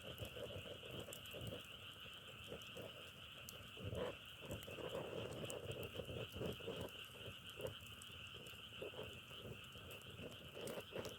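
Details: Frogs croaking in short low pulses repeated roughly every half second, layered over a constant high chorus trill, with sharp crackling snaps scattered throughout.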